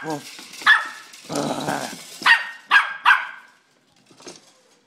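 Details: Pet dog barking at a slinky toy indoors: a burst of short, sharp barks, a pause while a person speaks, then three quick barks in a row and a faint final yap.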